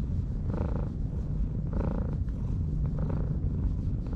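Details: Purring stray cat, found asleep on a breakwater and stroked, rumbles low and steadily, swelling in breathy pulses roughly every one and a half seconds.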